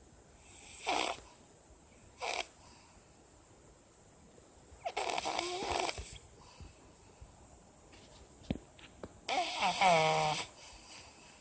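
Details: Pug snoring: four rough, raspy bursts of breath, separated by quiet pauses. The final snore is the longest and loudest, with a buzzing, rattling vibration. No other sounds are clear.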